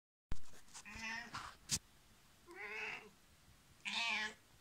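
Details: An elderly female cat, 15 years old, meowing indoors while asking for a door to be opened: three harmonic meows, the first two longer and wavering, the last loud and bright, with a sharp click between.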